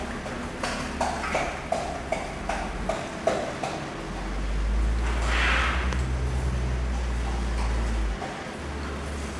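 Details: Asian elephants at Washington Park Zoo, Portland, Oregon, recorded 25 October 1984 making infrasonic calls; sped up 2.5 times so the normally inaudible rumbles come through as a steady, deep droning hum of several seconds, preceded by scattered knocks and clicks.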